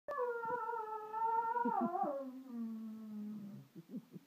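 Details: Pet dog Freddy indoors on a sofa with Fleur, March 2014, singing: a long harmonic howl held level, wavering, then sliding down into a low drawn-out tone with a few short huffs at the end.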